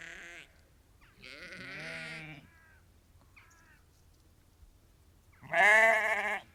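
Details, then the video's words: Ewes and lambs calling on a sheep farm, a flock of about 30 to 50; three separate bleats, a long wavering harmonic bleat near the start and a loud, strained one at the end, with quiet gaps between. "Ewes and Lambs Calling"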